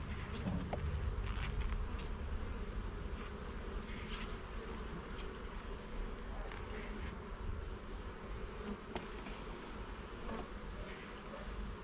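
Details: Honey bee hive inspected frame by frame in a garden: a continuous droning buzz over a deep rumble, with a few soft taps early on.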